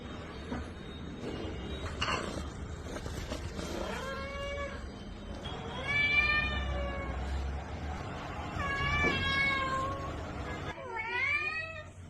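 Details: Domestic cat, shown from kitten to adult, giving a series of drawn-out harmonic meows, some rising then falling, about four distinct calls across twelve seconds, with faint background noise indoors.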